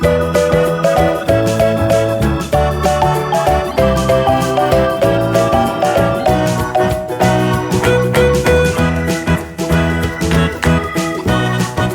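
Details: Bright, steady instrumental music with marimba- or xylophone-like tones and keyboard notes plays throughout, with no animal sound audible.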